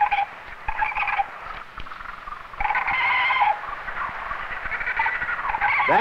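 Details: A young male koala in his tree on an island gives a harsh, wavering squealing cry in broken bursts, a distress call because he feels threatened by people approaching his tree. Koala.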